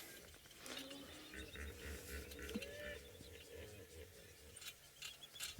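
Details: Hippos call in the distance on an African safari, possibly around the time they emerge for the evening, with a deep, rhythmic run of grunting honks over a quiet outdoor background.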